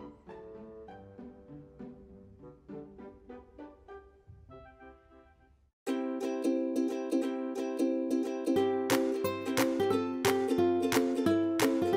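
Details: Soft plucked ukulele-like music for about six seconds, then a louder, brighter instrumental passage with sharp percussive strikes; no animal sounds.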